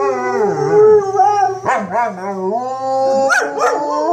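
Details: Two German Shepherds howl together at tornado sirens tested once a week, their wavering voices overlapping in rich harmonic tones that rise and dip, broken by short yips and quivering breaks in the second half.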